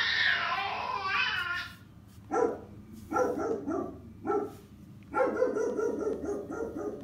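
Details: Ryker, a 90-pound Rottweiler who struggles with arousal and cannot relax, gives a high, wavering whine, then deep barks in short clusters with quiet gaps between.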